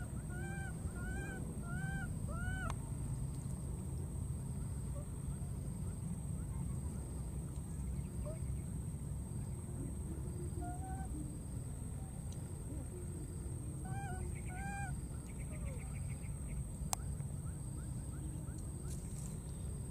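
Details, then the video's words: Baby monkey in the wild, searching and calling for its friend: a run of four or five short arched coos at the start, a pair more later, and faint scattered calls between, against constant low rumbling background noise. "this cute baby monkey keeps looking for and calling for his friend"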